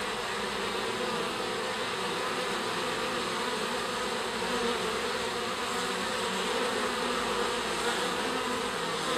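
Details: Garden honey bees emerging from their hive to stretch their wings: an unbroken, uniform buzzing hum from many insects at once, steady in loudness throughout.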